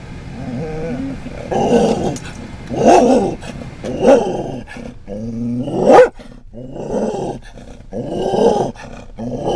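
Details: A Scottish Terrier riding in a van barks at cats and another dog, giving rough, growling barks about once a second, with one sharp, strained, higher yelp near the end before the gruff barking resumes.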